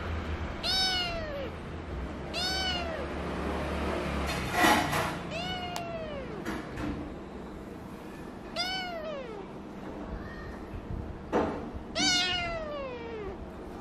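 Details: Kitten refusing to share its pillow with a doll: about five high, arched meows rising then falling, spaced roughly every two to three seconds, with a few brief rustling thumps between calls.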